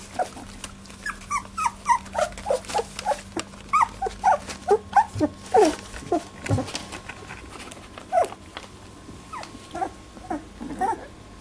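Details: Labradoodle puppies, 18 days old, squabbling in their first fight over milk: a rapid string of short squeaky whimpers and yips, roughly one per second or faster, with soft rustling and a faint steady hum.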